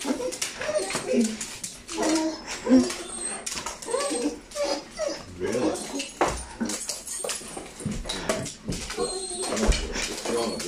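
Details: Whippet Saluki dogs Bandit, Max and Tilly indoors in a small room, excited about going out; soft, high whimpers and whines come in short bursts among rapid clicking and scuffling, while a person keeps talking over them.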